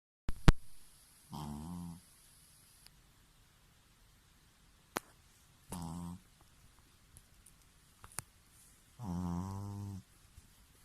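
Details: Loud snoring from Bobo, a rescued Pekingese living indoors with a Shih Tzu sister: three deep, rumbling, buzzy snores, each about half a second to a second long and spaced roughly four seconds apart, with brief clicks between them in a quiet room.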